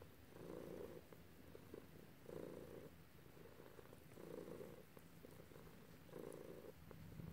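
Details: Domestic cat purring while being petted by its owner, one of two cats present, a black and a grey; soft, low rumbling purr in steady pulses, each swell lasting under a second and returning about every two seconds.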